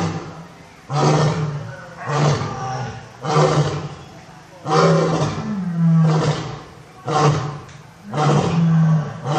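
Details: Lion roaring in a zoo. Deep, powerful roars come in a regular series about every one to one and a half seconds, each a broad rasping grunt with a low rumbling base. One roar has a rising pitch.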